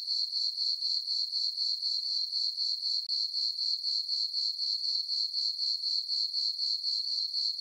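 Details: Crickets chirping on a peaceful summer night in a farm meadow under a full moon: a steady high-pitched trill pulsing about four times per second, very regular, with no other sounds.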